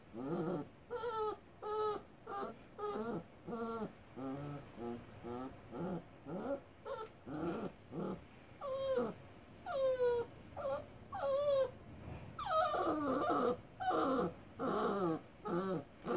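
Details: Dogs on Jeju-do, South Korea, on 9 October 2015: a Rottweiler meeting a black-and-tan Jindo mix puppy for the first time. Repeated high, wavering whines come in about twenty short bursts, some longer and bending up and down, with quiet gaps between them.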